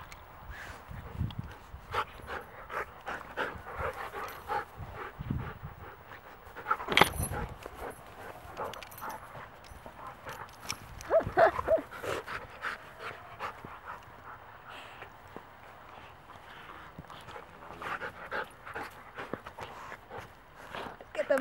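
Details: Unedited scene of wolfdogs in a playfight broken up by Mango, a 12-year-old Great Pyrenees mix: a long stretch of rapid panting, snapping snarls and growly bursts, loudest around the middle and end.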